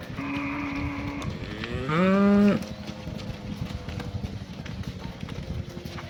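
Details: Cows calling to their herd mates while being herded back to the barn in the afternoon: a flat, droning tone followed by a short, loud moo that rises in pitch, over steady rustling and trampling.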